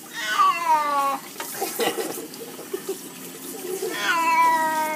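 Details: Domestic cat refusing a bath, giving long drawn-out meows with clear harmonic stacks, one descending wail near the start and another near the end, with a person's speech between and splashing or handling sounds.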